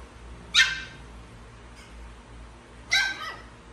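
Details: Small dog in a home setting, where a little Pomeranian wants to play with Chihuahuas: two sharp, high yipping barks about two and a half seconds apart, with quiet between them.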